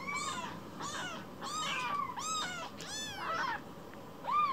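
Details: Rescued baby kitten Kira, lost inside the house and looking sad, gives a run of high arched meows with rich overtones, about five calls close together, the last one louder, over faint indoor hiss.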